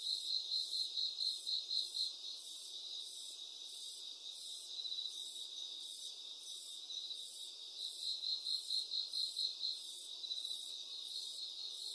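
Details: Cricket chorus with a continuous high trill; quick runs of sharp pulsed chirps come at the start and again after about eight seconds.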